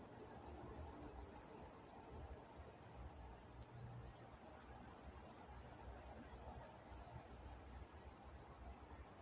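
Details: Night-time crickets recorded in Walnut, California: a steady, high-pitched pulsing chirp trills on without pause, with faint low rumble beneath.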